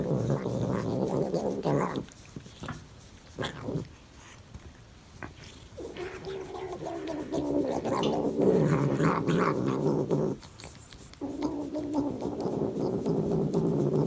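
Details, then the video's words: A cat makes a weird low, rough, growling drone while its back is scratched, sustained in long stretches broken by quieter gaps around two to six and ten to eleven seconds. "Cat makes weird sound when back is scratched"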